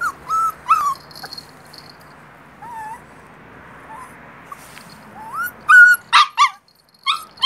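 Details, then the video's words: Puppy whimpering with thin, whistled whines that rise and bend, broken by short, sharp yips. A burst of quick yelps comes near the end. "짖는 강아지"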